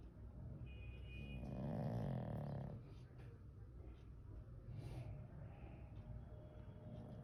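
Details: Pet Pug named Noddy snoring while asleep: one drawn-out, low rumbling snore swells and fades over about a second and a half, followed by quiet breathing and faint room noise.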